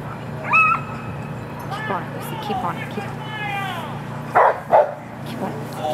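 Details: Rhodesian Ridgeback Lucy, running her final heat at an ASFA lure coursing Open Finals on Saturday, is heard amid high whining yelps sliding up and down, then two sharp loud barks near the end, with human speech and outdoor rumble underneath.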